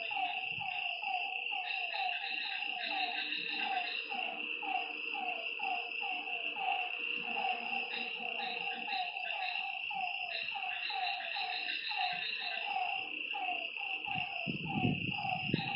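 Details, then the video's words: Frogs at night by a lake call in a busy chorus of quick, falling notes, with a persistent shrill insect drone and a brief low thump near the end. "Lakeside night creatures and frog sounds"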